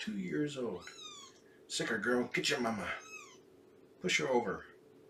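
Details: Shelby, a female cat estimated at two years old, abandoned before giving birth and later placed in foster care through Purrfect Pals, on a morning visit indoors: two or three short, falling, tonal meows amid close human talking and a steady background hum.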